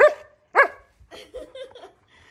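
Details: Siberian Husky named Wulf, a pet dog: two loud, sharp barks half a second apart, then quieter, lower broken sounds trailing off over the next second.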